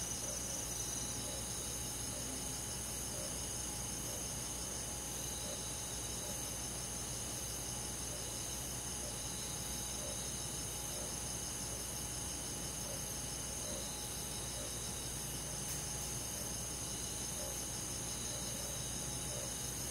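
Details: Countryside crickets and forest insects singing on a summer night, high continuous chirping layered with rhythmic pulsed trills that swell and fade, over a steady quiet hum.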